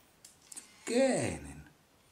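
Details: Willy, a tomcat, investigating a kitchen indoors, gives a single drawn-out meow lasting under a second that rises briefly and then slides downward, preceded by a few faint clicks in a quiet room.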